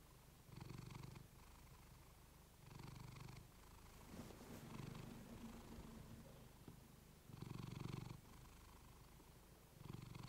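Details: Domestic cat purring, recorded close with a fluffy microphone: a low rumbling purr that swells in loud bursts about every three seconds, with quieter purring in between.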